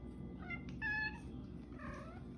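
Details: The OK Cat, a pet female cat whose meows sound like the word "okay", makes two clear meows, the first a bright steady-pitched call, the second shorter and falling, over a constant low background hum.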